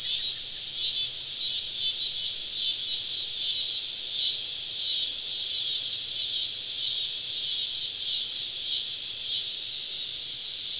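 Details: Summer cicadas around a campsite deep in southern woods on an evening: a dense, high buzzing chorus that swells and dips in steady pulses roughly twice a second, unbroken for the whole stretch.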